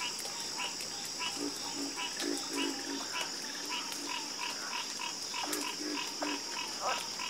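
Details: Frogs croaking in a dense chorus at night, many short overlapping calls tumbling out in quick irregular succession above a constant high droning background.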